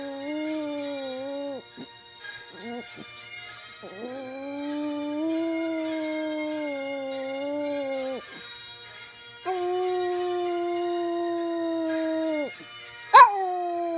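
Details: A male pet Chihuahua, which howls only to bagpipe music and specifically to Scotland the Brave, sings along in long sustained howls. Each rises, holds steady for several seconds, then drops, with faint bagpipe drones underneath.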